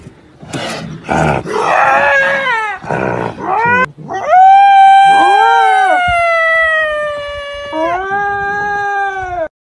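Striped hyena giving broken whimpering yips, then a long, steady, whining howl-like call.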